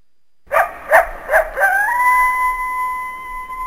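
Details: Coyote giving three short, sharp barks about half a second apart, then sliding into a long, steady, even howl that holds its pitch to the end.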